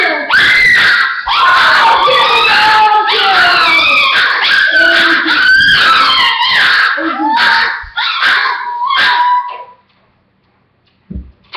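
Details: Pet dogs in a group howl, layered quavering notes bending up and down for about ten seconds before the chorus breaks off into near silence, followed by a couple of faint short sounds at the end.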